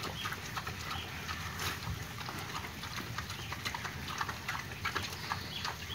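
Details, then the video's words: Pen-raised wild boar eating on 24 August 2022: steady wet crunching and clicking chews, dense and irregular, with soft rustling between bites and no vocal calls. "Ăn riết chuyên nghiệp luôn - Heo Rừng Nuôi Chuồng"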